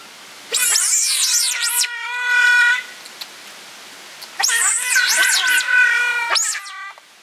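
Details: Giant otter family with two young cubs at Chestnut Centre, Chapel-en-le-Frith, filmed 25 June 2011: two bursts of shrill, sweeping screams, each followed by a steady harmonic wail, separated by a quieter pause.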